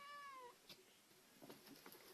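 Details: Domestic cat indoors giving one short meow that starts level and slides downward over half a second, followed by quiet room noise and small knocks.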